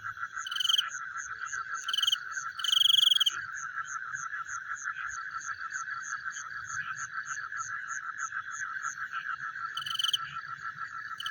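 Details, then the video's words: Frogs calling at night, heard as a chewing sound: a dense, steady chorus of fast, even clicking pulses in a middle pitch, with brief higher buzzy trills breaking in around the first and third seconds and near the tenth. "The Sound of Frogs Chewing in the Night"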